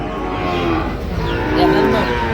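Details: Sahiwal bull calves about five months old at a busy cattle market in Bangladesh, 22 September 2025; a short, low moo rises through steady crowd chatter and market noise.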